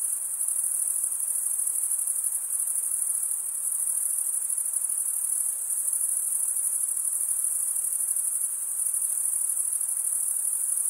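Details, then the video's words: Crickets chirping, the males stridulating by rubbing one wing's toothed vein against the other. A dense, very high-pitched trill runs unbroken and even in loudness throughout, with faint pulsing and no other sounds. "Most relaxing cricket sound"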